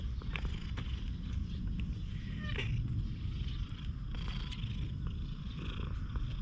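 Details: A stray cat missing one eye, very friendly toward people, recorded close on a GoPro HERO8. A deep continuous purr dominates, with a brief higher vocal sound near the middle.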